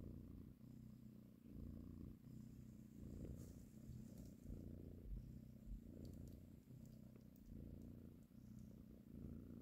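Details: Mother cat purring while nursing and caressing her kittens: a deep, even rumble that rises and falls with her breathing, occasional soft clicks and rustles on top.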